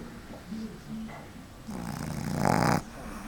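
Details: Boston Terrier puppy, seven months old, asleep on a person's lap in an office, snoring: two faint low snuffles, then a louder, rough rumbling snore lasting about a second that ends abruptly.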